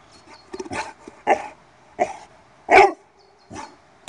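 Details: Italian mastiff (Cane Corso) in bark training, responding to the command 'laut': a string of about six punchy barks roughly every half to one second, uneven in loudness, the fifth the strongest.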